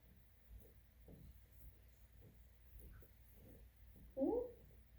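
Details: A dog gives a short, throaty whine-grunt that bends in pitch near the end of a quiet stretch, making funny noises while scratching its own back against a sofa.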